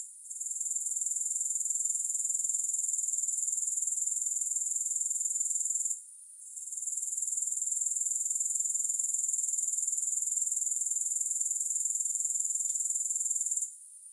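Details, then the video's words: Continuous shrill insect trilling from grasshoppers, beating in rapid pulses roughly four per second, briefly dropping out near six seconds and again just before the end; no music or other noise. "3 Hours of Grass Hopper Sounds"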